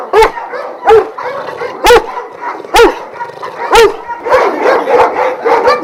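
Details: Šarplaninac dogs at a kennel in Jasika near Kruševac, twelve of Vujanski lineage; deep, loud single barks roughly once a second, five strong ones, then overlapping barking from several dogs toward the end.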